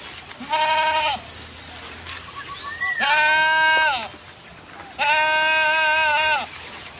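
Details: Village goats released to graze wild grass in open fields from morning to evening; three long, quavering, nasal bleats about a second each, spaced roughly two seconds apart, over a steady high insect-like drone.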